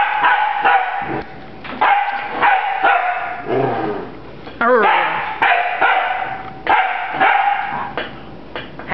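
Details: Playful puppy Rafiiki barking at a broom, high yappy barks roughly every half second, with a brief squeaky, wavering whine in the middle and a person's voice faintly mixed in.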